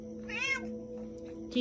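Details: Pet cat giving a short rising-falling meow of about a quarter second, with a steady background hum and music, and a person speaking to it just before.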